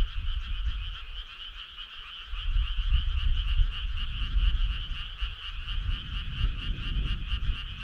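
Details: Summer-night frog chorus: overlapping rapid croaks merge into a constant trilling hum at two pitches, quickly pulsed, over a low rumbling background that swells midway.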